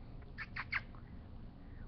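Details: Bubba, an eight-week-old Great Pyrenees puppy, lets out three quick, high squeaky yelps in close succession, then falls quiet over a low indoor hum.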